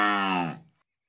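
A Murrah buffalo calf gives a single short, nasal bawl that trails off and falls slightly.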